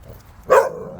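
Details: A short, sharp bark from one of several Jindo dogs on a walk, a single abrupt burst lasting a fraction of a second against faint low background noise.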